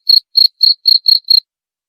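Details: Cricket sound meant for repelling rats: six short, high chirps in quick succession over about a second, then silence, with no other noise.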